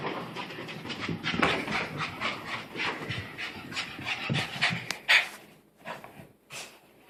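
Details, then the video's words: Pet dog making unusual noises in reaction to a new sweater it apparently dislikes, indoors: a run of breathy, rasping bursts repeated about twice a second, some sharper and louder toward the end, with short pauses between. "Funny Dog Makes Weird Noises"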